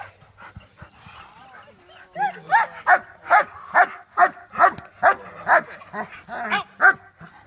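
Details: Barking of a young German Shepherd during bite training, shifting from the sleeve to a jacket in preparation for civil and defense training; after quiet talk, a run of sharp, evenly spaced barks, roughly two each second.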